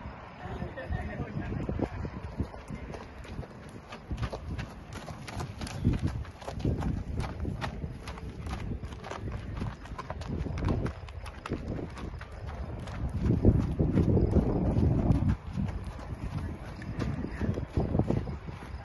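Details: Hoofbeats of a 6-year-old Thoroughbred mare, a racehorse of about 16.1 to 16.2 hands, in a fast, uneven run of dull thudding strikes, roughly three per second, with a person talking over them.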